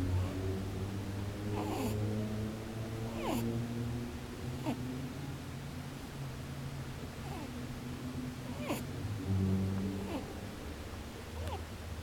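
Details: Rabbit sleeping with its eyes open, snoring indoors with soft nasal 'poo-poo, boo-boo' sounds. Short falling snorts come about every one and a half seconds over a steady low hum.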